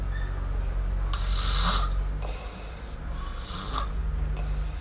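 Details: Kitten MiuMiu asleep and snoring, two hissing, airy breaths with a slight rasp about two seconds apart, set against a constant low droning hum.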